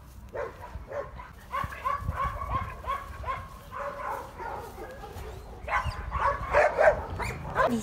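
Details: Dog barking repeatedly in quick, irregular bursts of short yappy notes, some clustered closely, growing louder and denser in the final seconds.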